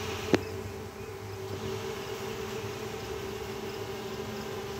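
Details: A swarm of western honey bees leaving the hive gives a steady, droning hum with a single sharp tap near the start.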